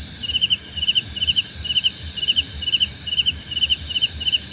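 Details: Cricket sound for sleep and meditation: buzzy pulsed chirps repeating a bit over twice a second, a faster higher-pitched chirping behind them, and a steady shrill drone throughout.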